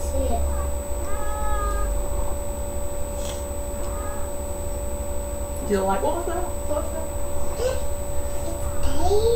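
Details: Domestic cat Sasha in labour with three kittens, May 14th 2011: curved, wavering meows break through after a spell of people talking, ending in a longer rising cry over constant background hum.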